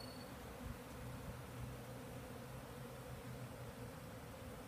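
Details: Many bees flying in the air at a beekeeper's hives during a sunny spell, from more than one hive and not swarming, calming about 20 minutes later; a dense, steady low hum of overlapping wingbeats, with a man's voice nearby.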